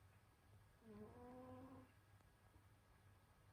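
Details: Senyora Betsy, a pet cat, snoring while asleep in winter: one soft nasal breath around one second long, carrying a faint wavering tonal hum above a steady low background drone.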